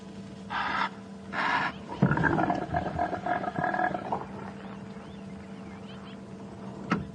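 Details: At sunrise on a crisp, cool morning, 18 May 2015, in the Sabi Sands, South Africa, a rutting male impala gives two harsh nasal snorts, then a throaty gurgling roar of about two seconds, like a hippo's. Steady safari-vehicle engine hum, faint bird chirps.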